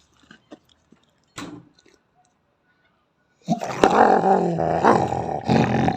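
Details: Female Belgian Malinois growling in anger without provocation: near silence with a few faint taps and a brief rustle, then a sudden loud, harsh snarling growl that fills the final two and a half seconds.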